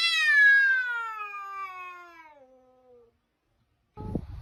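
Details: A drawn-out cat meow, loud at first and slowly sliding downward in pitch over three seconds as it fades, then silence and a short thump.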